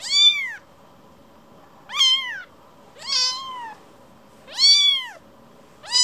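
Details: Rescued baby kitten returning to its carer to be petted calls with five loud, rich, arching meows at intervals of about a second and a half, sharp harmonics, near-silent background.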